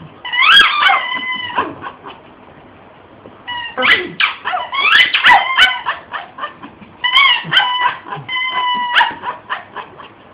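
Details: Shih tzu Oski freaking out while chewing and destroying a squeaky toy indoors; rapid yips and whimpers mixed with high sustained squeaks, coming in three loud bouts over about ten seconds.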